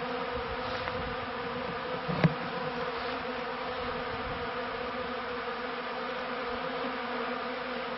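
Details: Steady mass hum of kept honey bees from the 1995 to 1996 season, low and even, broken by one short sharp knock early on.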